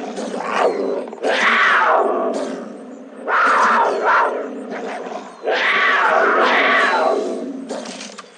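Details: Snow leopard giving loud, harsh, rasping roar-like calls in four drawn-out bursts separated by brief pauses, each grating and breathy with a strained, broad tone; faint background hiss between bursts.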